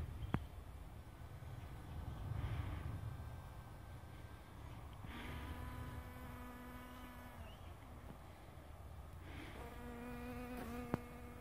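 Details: A hoverfly, Epistrophe grossulariae, feeding on hogweed: two low, even, humming buzzes, the first lasting about two seconds and the second rising in pitch as it begins, over quiet outdoor rumble with a few faint clicks.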